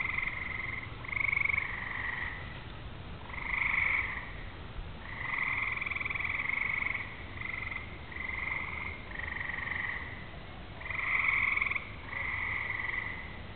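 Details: Several frogs trill on a summer evening ahead of rain, with distant thunder noted: buzzy, pulsed trills of one to two seconds follow each other rapidly, some overlapping, over a soft, low background rumble.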